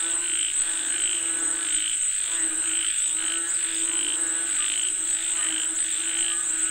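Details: Chorus of frogs calling for rain, layered croaking with short bright pulses repeated roughly every half second, backed by a constant shrill hum.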